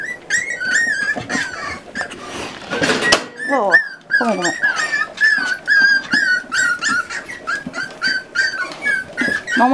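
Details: Miniature Schnauzer puppies, eight littermates about forty days old, being weaned by their mother indoors; steady run of short, high whimpers repeated rapidly, with a brief noisy rustle and a few falling yelps early on.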